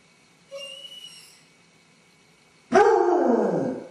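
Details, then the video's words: Basset Hound left by itself, showing separation anxiety: a faint, high, steady whine lasting about a second, then after a silence a sudden loud, falling bay. "Ansiedade de separação em Basset hound"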